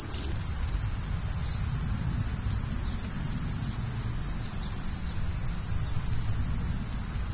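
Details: Crickets at night: a loud, unbroken, very high-pitched trilling chorus that holds steady throughout, with faint low background rumble.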